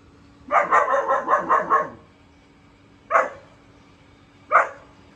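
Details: Four-month-old German shepherd puppy barking: a quick run of about six yappy barks over one second, then two single sharp barks spaced apart, over a steady low hum.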